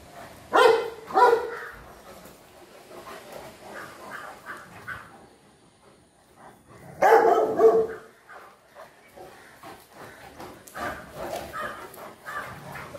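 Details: Dogs in a household with Fila Brasileiro brothers and a Great Dane: a burst of heavy, booming barks, a quiet pause, then another loud volley and softer scattered barks near the end.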